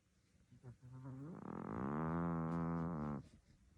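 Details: Sleeping domestic cat snoring: a single long, low, buzzy inhaled snore lasting about two seconds with many stacked harmonics, swelling and then cutting off abruptly, in a quiet indoor setting.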